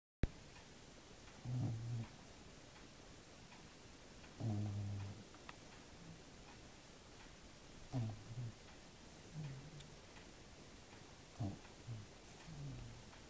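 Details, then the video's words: Small pet dog snoring while asleep indoors; low, rumbling snore bursts about every three seconds with harmonic bands, some breaths quieter than others, against a faint steady background hiss. "Schnarchender Hund"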